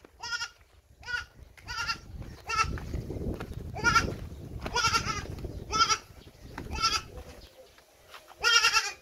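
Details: Pet hybrid Boer goat bleating repeatedly, a series of short quavering nasal cries about every second, with a low rumble of handling noise in the middle and people talking nearby.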